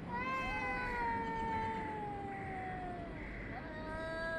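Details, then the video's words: Cats yowling at each other, recorded on 3 Av 5785 between 6:01 and 6:04 summer time; long, drawn-out wavering howls rich in harmonics, one voice gliding slowly downward while another overlaps, over a steady low rumble. "חתולים מייללים זה לזה Cats are yowling at each other"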